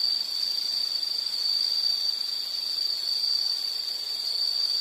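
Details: Calling insects in a calming nature sound recording: one thin, very high, sustained trill holding steady at even volume, nothing else audible.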